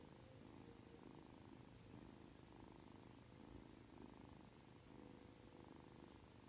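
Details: Ragdoll kitten Aki, 3 months old and cuddly right after waking up, purrs softly in regular breathing cycles, a low droning rumble with a faint background hum.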